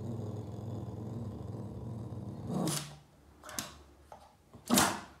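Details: Low continuous growl from an upset Boston Terrier called Yoda, who chases shadows along the wall inside a room; the rumble holds for over two seconds, followed by scattered knocks and a loud scraping burst near the end.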